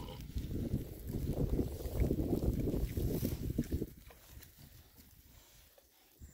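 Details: Rare-breed Oxford Sandy and Black pigs, six happy boars on a winter forage between storms, make a dense, steady run of deep, rapid grunts for about four seconds, which then fade to near quiet.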